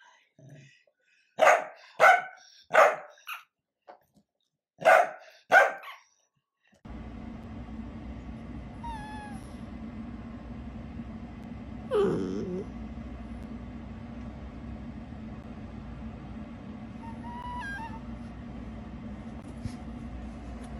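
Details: Dachshund producing a quick run of sharp barks, five or six short bursts in about four seconds, followed by a long stretch of steady background hum with a faint squeak and a brief muffled thump.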